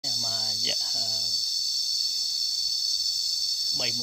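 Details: Cicadas heard while out walking in nature, a dense, steady, high shrill drone sustained without a break throughout, with a man's voice speaking briefly at the start and again at the end.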